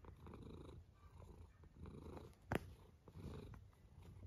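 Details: Domestic cat snoring indoors, slow rhythmic breathing rumbles low in pitch rising and falling about every second, with one sharp click midway.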